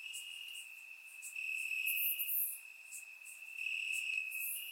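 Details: Crickets calling from grass at night in Bulgaria during warm summer weather: an unbroken high ringing trill that grows louder in the middle, joined by scattered very high chirps.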